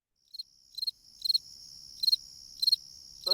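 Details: Fall field cricket singing in the fall: short, high, bright chirps of two or three pulses each, spaced about half a second apart over a faint low background rumble.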